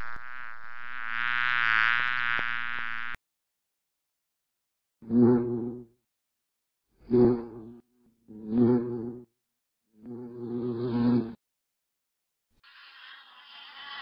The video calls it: Bee bee buzzing sound